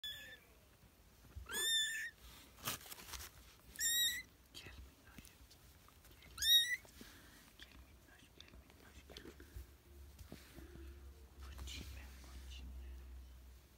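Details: British and Scottish kittens playing indoors give high, thin meows in three clear bursts, each with a falling then rising tone, spaced about two seconds apart, with soft rustling and faint whispering around them.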